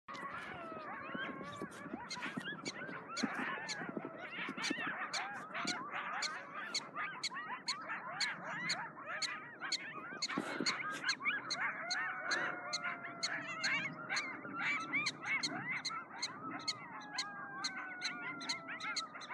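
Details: A pack of three or four coyotes howls and yips in a wavering, overlapping chorus after a police siren passes, in snowy open country, with alarmed prairie dogs chirping.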